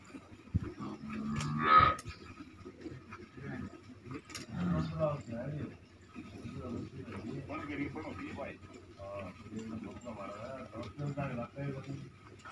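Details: Red Sindhi cow, a purebred female in her second lactation, recorded during milking; one short harmonic moo near the start, then people talking and the clatter of milking.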